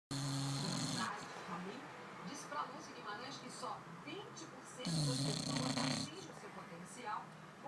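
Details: An English Bulldog snoring and dreaming gives two loud, rasping, low-pitched rumbles with quieter breathing between them.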